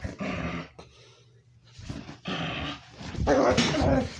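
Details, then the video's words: Pet dog making weird, unusual noises its owner has never heard before; rough, throaty growling bursts with whimpering tones in about four separated pulses, the last loudest and harshest, indoors. "Hey guys, you won't believe my favorite dog Lucy here is making weird noises."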